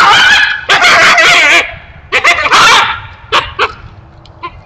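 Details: Coyote stuck in a neighbor's foothold trap, giving wailing yelps: a long, wavering, harmonic cry at the start, then shorter yelps and brief sharp yips that fade toward quiet at the end.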